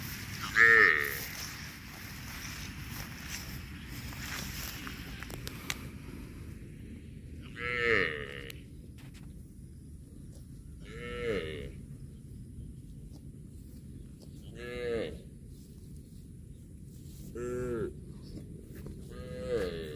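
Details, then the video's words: Cows mooing while eating grass: six harmonic, arching moos spaced about three seconds apart, each short and slightly descending, over steady low background rumble. "CUTE AND FUNNY COW SOUND EATING GRASS COMPILATION - COW MOOING"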